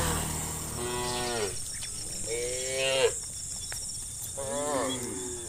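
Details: Several cows moo in long, drawn-out, harmonic, overlapping calls one after another while being herded in the evening to the farm pen.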